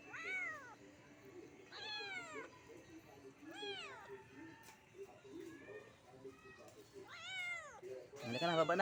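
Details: Kitten stuck up a guyabano tree meowing loudly: about five high, arched meows, each rising then falling, spaced one to two seconds apart, with a low murmur of background noise and a brief louder jumble at the end.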